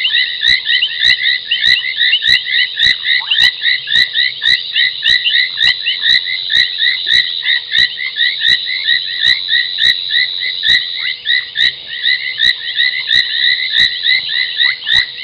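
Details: Gowrie dam waterhole, Djuma Game Reserve in South Africa's Sabi Sand Wildtuin, at 23:46 on 30 January 2021: foam nest tree frogs at night. Steady sharp clicks recur about every half second above a continuous shrill chorus of chirps, thinning slightly toward the end.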